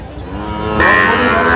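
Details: Sahiwal bull at a cattle market in Natore, 31 December: a harmonic, droning moo for under a second, then gives way to loud broadband market noise.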